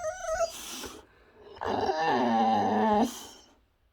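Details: Rex, a Boxer dog, mid-tantrum: a short high whine, then a sustained, wavering, throaty grumbling whine lasting over a second in a small indoor room.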